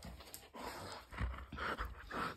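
A husky makes short, low rumbling growls broken by breathy huffs and a faint whine. The growling comes from excitement during play rather than aggression.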